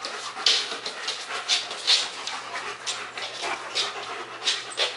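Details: Two German Shepherds, Max and Ace, playing on 14 September 2015: quick, breathy, hissing pants in short bursts about twice a second, with brief scratchy scuffles between them.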